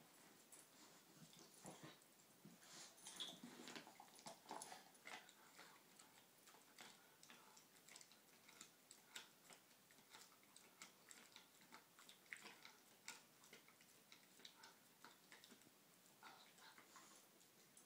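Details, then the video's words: Adenine, a male German Shorthaired Pointer about 8 months old, chews on a treat while lying upside down; soft, irregular crunching and wet clicking bursts repeat throughout, quiet and close, with no other clear sounds. "German Shorthaired Pointer Dog Chewing Upside Down"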